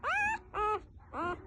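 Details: Newborn F1B Standard Goldendoodle puppies give three thin, squeaky cries, each rising then holding steady, about every half second.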